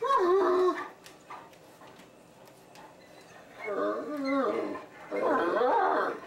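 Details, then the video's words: Deaf Great Danes vocalizing, or "talking": three bursts of tonal, warbling whine-howls, the first short, then two longer wavering phrases that slide up and down, separated by quiet pauses. "Deaf Great Danes Talking"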